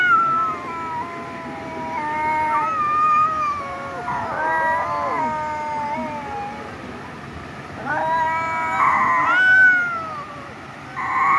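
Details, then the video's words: Domestic cats fighting: long, harmonically rich yowls that waver and slide up and down, several overlapping drawn-out cries with brief louder bursts near the end. "cat video #CAT #meow Mini fighting video"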